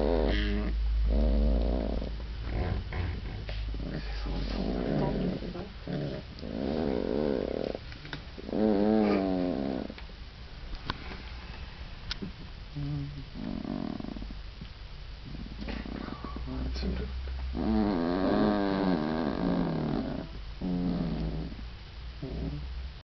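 Afghan Hound puppies whine, squeal and grumble in uneven, overlapping bursts of high and low voices.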